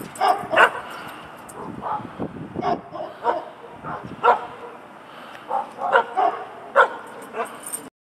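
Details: Dog barking while running around a yard; a string of short, sharp barks and yips at irregular intervals, with a person's voice speaking to it.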